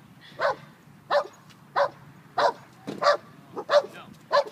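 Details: German Shepherd pup of five months in a park, training to stay as other dogs pass by; seven clipped, evenly spaced barks in quick succession, roughly one and a half per second, over quiet outdoor background.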